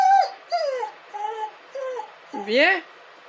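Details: Dog whimpering with a sharp opening cry, then drawn-out level and falling whines, ending in a louder, rising and falling wail in a small, quiet indoor space.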